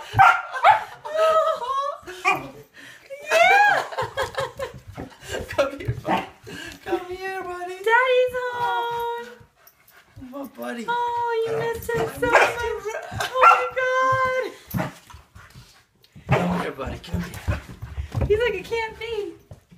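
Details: A Standard Poodle puppy whines and yips in high, wavering cries, greeting its owner at the door after a week apart, with excited human voices.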